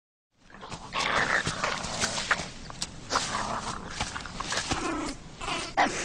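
A wolverine growls in harsh, raspy bursts, rough snarling rising and falling over several seconds.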